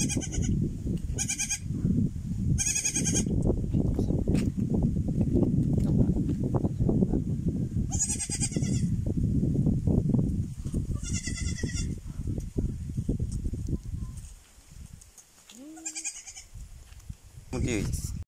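A young goat bleats in short, quavering, nasal cries, repeated in bursts over steady low rumbling.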